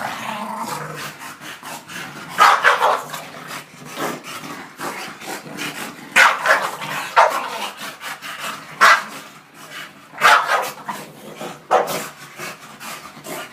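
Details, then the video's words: Bulldog Shena getting mad during a fight, loud clustered barks and higher yips breaking out every couple of seconds, with a person encouraging it by calling "come on" in the background. "Shena getting mad"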